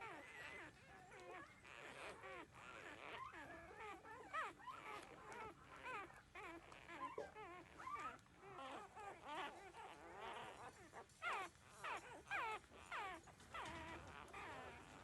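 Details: Thirteen-day-old puppies drinking milk from their mother, crying in a steady chorus of thin, wobbling whimpers and short yips, quavering up and down and overlapping, louder bursts near the end.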